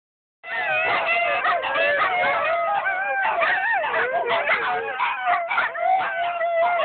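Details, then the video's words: Gizmo, a dog, howling at the park with friends: several wavering, overlapping howls begin abruptly and carry on without a break, with voices sliding up and down against one another. "Gizmo Howling at the park with friends"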